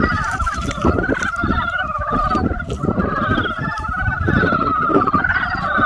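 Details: Frogs croaking in spring: a dense chorus of many overlapping, rapidly pulsed croaks in a steady mid-pitched band with a lower layer beneath, running without pause, over constant low rumbling background noise.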